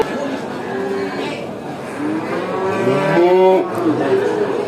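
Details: Cows at a traditional animal market, several lowing moos overlapping, harmonic and drawn out, with a busy crowd murmur beneath.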